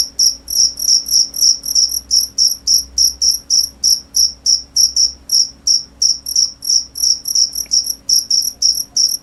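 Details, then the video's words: Continuous run of short, piercing cricket chirps repeated about three times a second, fairly even in spacing and loudness throughout. "cricket sound"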